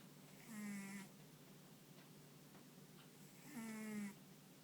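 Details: Sound asleep, the dog Ponta lets out two long, nasal, steady-pitched snores about three seconds apart, with only faint room noise between them. Its paws and ears twitch occasionally.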